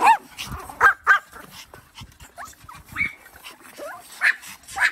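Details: Several Pomeranian dogs playing in snow, giving short high yips and barks in irregular bursts, some paired, with quieter scuffling between calls.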